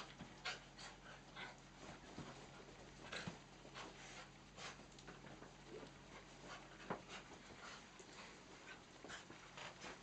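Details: Two miniature dachshunds and two cocker spaniels romp together on a dachshund's third birthday; steady breathy panting with scattered sharp clicks and scrabbling, fairly quiet throughout.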